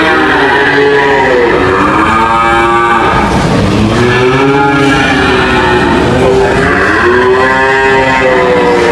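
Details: Cattle moo in repeated arching calls, each swelling and falling, several animals overlapping in a loud, continuous herd chorus.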